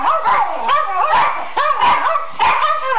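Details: Schipperkes howl on cue: rising, quavering yowls repeated in roughly half-second bursts, several dogs overlapping in a domestic setting.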